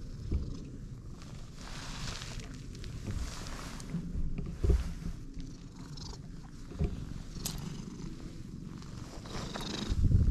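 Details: Low rumbling purr of a stray cat, purring from the moment of meeting, fairly quiet and uneven, mixed with thumps and rustling handling sounds.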